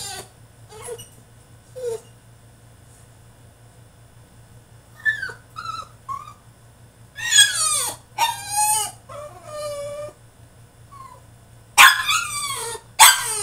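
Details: Male French Bulldog throwing a tantrum in his cage, starting with soft, brief whimpers. These build into loud, wavering yelps and howl-like whines in rapid bursts, with a faint hum in the background.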